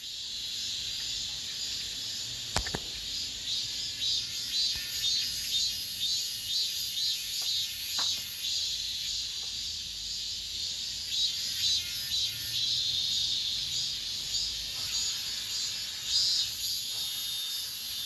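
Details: Cicadas singing in an apartment complex, the last of this summer: a dense, shrill high chorus that swells and eases about twice a second, with one sharp click near the start.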